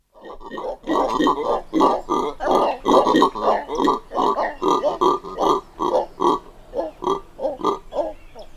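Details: Red howler monkeys, two individuals recorded close up, giving short grunts in a rapid, rough series of about three per second, harsh and throaty throughout, with faint high birdsong behind.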